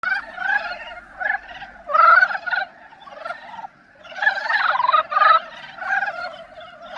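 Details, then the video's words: Dybowski's brown frog love song in the breeding season: overlapping bursts of rapid, grating pulsed croaks forming a busy chorus, loud clusters near the second and fifth seconds with quieter calls between. "큰산개구리의 사랑노래소리!"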